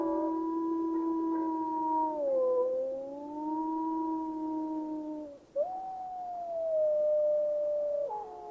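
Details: Yellowstone's gray wolves calling as a pack: overlapping sustained howls that dip and rise gently, one voice breaking off midway before a new howl starts higher and slowly falls, another entering near the end.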